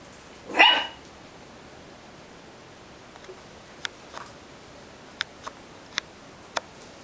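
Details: Ricky, a homeless puppy, gives one short, sharp bark near the start, followed by near silence broken only by a few faint scattered clicks.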